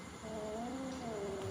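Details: Small cat frightened by a bigger cat, giving a quiet, drawn-out wavering moan that holds a steady low tone, then dips slightly, across about a second and a half indoors.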